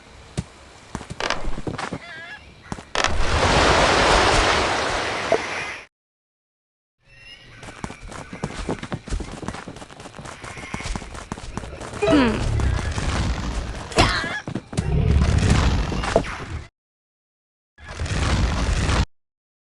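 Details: A koala makes strange noises: harsh, rasping, low grunting bursts and a long buzzy roar, then rapid snore-like pulses. The sounds come in loud sections broken by abrupt silences.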